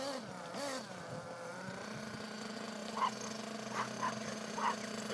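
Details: Toby, a Chihuahua, chasing a gas-powered remote-control car on a sunny April day in Van Cleve Park, Minneapolis: three short sharp barks about a second apart over the steady engine drone of the car.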